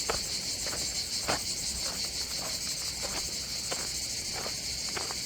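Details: Cicadas at a south-of-France beach near Antibes and Cannes sing in the background, a loud, even, high-pitched rasping drone with a shimmering pulse, punctuated by light tapping sounds.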